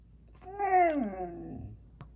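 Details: Siberian Husky indoors, Maya talking to Alexa: a single drawn-out whine with rich harmonics that starts high and slides steadily downward over about a second, with music nearby.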